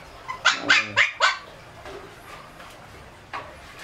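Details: Shih Tzu puppies fed raw meat, bone and fat give four loud, rough yelps in a quick burst, then a quiet stretch with a faint cry near the end.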